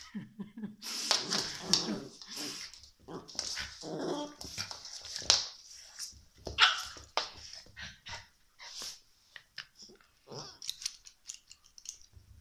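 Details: Shiba Inu puppy making a busy run of whimpers, squeaky yelps and short barks over twelve seconds, with some faint voices in the background.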